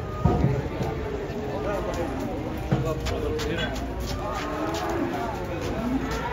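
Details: Cattle unloaded from a truck give low, drawn-out moos with stacked harmonics, mixed with excited voices of onlookers and a busy outdoor crowd.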